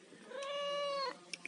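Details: A domestic cat eating fish lets out a single steady, tonal meow lasting under a second that dips at the end, followed by two faint clicks.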